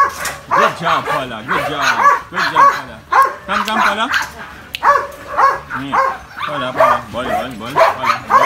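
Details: Young Belgian Malinois, almost two years old, giving rapid, strained barks and yelping whines that rise and fall, packed closely together with little pause, while a person talks in the background.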